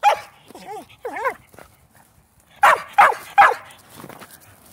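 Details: Sheltie vocalising while dogs play ball: a short bark, then two whiny, wavering yelps, a pause, and three sharp loud barks in quick succession followed by softer ones.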